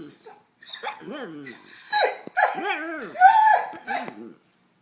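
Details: Dogs howling like wolves in short wavering, rising-and-falling wails, several voices overlapping, with a thin steady high tone in the background and a silent pause at the start and end.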